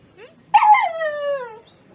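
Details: Pet dog whimpering because it wants to go outside: a single high whine of about a second that slides steadily downward, with a faint short whine just before it.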